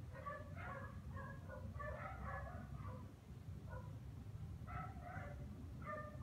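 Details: Dog barking nonstop during a Christmas vacation in the Philippines; fairly distant, short harsh barks come in quick runs of two to four, with a pause near three seconds, over a steady low rumble of background noise.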